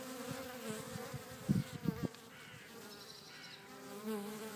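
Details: Back-garden bees in Cretingham, Suffolk give a low, fairly quiet buzzing hum, interrupted by a few short thumps early on, with the drone settling steady afterwards.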